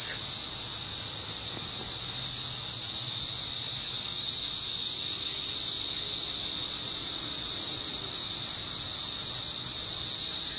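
A cicada gives a loud, steady, high-pitched buzzing drone that never lets up.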